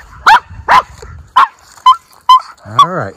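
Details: Miniature Schnauzer named Lucky, one of two brothers let off leash outdoors in spring, Aroostook County, Maine, April 18, 2024: six sharp barks and yips about every half second, the last drawn into a wavering whine-like yelp.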